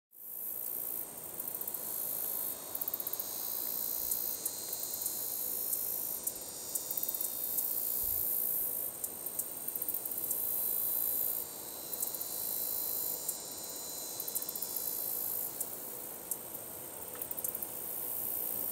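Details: Handsome meadow katydid (Orchelimum pulchellum), song.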